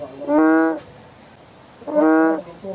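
An American bullfrog gives two deep, resonant, horn-like notes about a second and a half apart.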